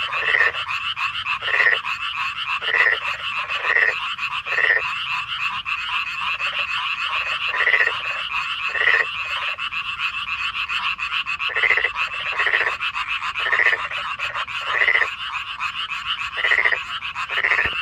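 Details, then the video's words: Korean frogs call in chorus at night in May 2025, with short croaking pulses repeated about once a second over a steady hum. "Frogs Singing in Chorus"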